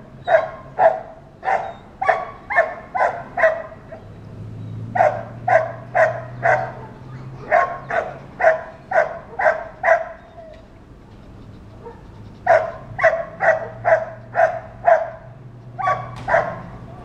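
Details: Dog barking all day long as children or other dogs go by: rapid bursts of sharp barks about twice a second, broken by short pauses, with a low hum underneath.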